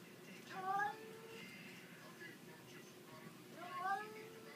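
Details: Domestic cat making funny noises indoors: two short harmonic meows, the first rising then falling near one second, another near four seconds, with faint background hum between.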